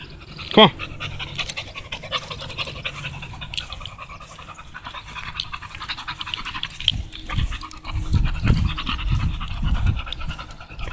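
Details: American Bully named Tugboat out on a walk, panting in quick, breathy bursts that grow louder and denser in the final few seconds, over a steady low rumble of background noise.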